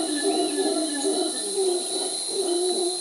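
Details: Distant mantled howler monkeys in Costa Rica give low, moaning, wavering howls that rise and fall, with steady high insect drones throughout; howling settles conflicts between them, sparing them from fighting.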